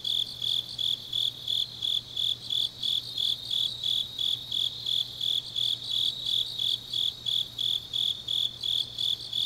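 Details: Deep-night autumn song of grass insects from Changnyeong, South Gyeongsang: rhythmic high chirps follow one another about every third of a second, unbroken throughout, with a weak low hum in the background.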